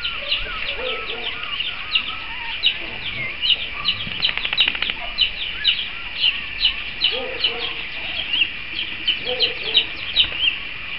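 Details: Newborn Cavalier King Charles Spaniel puppies of the mother April, being introduced to the household's other dogs, keep up rapid high-pitched squeaks and thin whimpers, several each second, with lower murmuring and a voice faintly behind.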